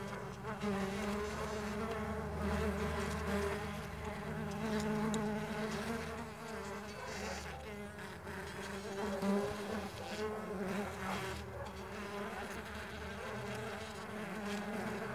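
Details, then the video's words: Mandaçaia stingless bees on the wing: overlapping buzzy hums with layered overtones, held steady for the whole stretch over a rumbling low background noise. "STINGLESS BEE SOUNDS"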